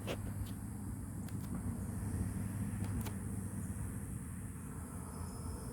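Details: Low, steady rumble like a vehicle engine or passing traffic, with a few sharp clicks and no clear animal calls.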